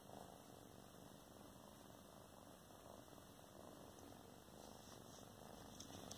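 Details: A pair of sister cats talking to each other; a faint, even purr hums steadily throughout, with slight swells near the end against a quiet indoor background.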